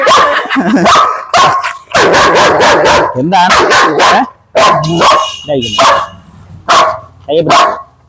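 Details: Aggressive, biting German Shepherd barking in loud, deep bursts, roughly one a second and irregularly spaced, with short pauses. A man talks between and over the barks.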